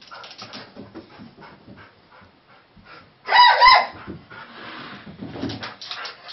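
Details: A Weimaraner reacting to fireworks being let off gives one loud, ringing bark over quiet background noise.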